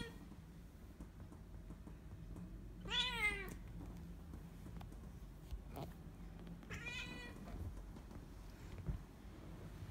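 A Bengal cat lets out two long, harmonic meows that rise and fall, spaced about four seconds apart. A low, steady indoor rumble runs underneath.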